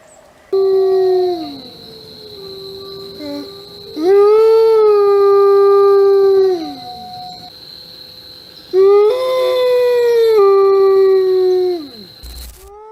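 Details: An Arctic wolf of North America's Arctic regions gives two long, level howls. Each one swells in, holds steady for a couple of seconds, then slides downward. A faint constant high whine runs underneath.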